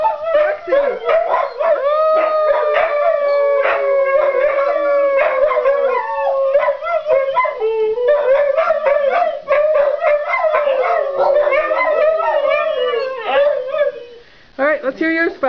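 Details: Several Siberian Huskies howl together in greeting, long wavering overlapping howls that slide up and down and are sustained for seconds, broken by short yips and sharp barks, with a brief pause near the end before more yelps.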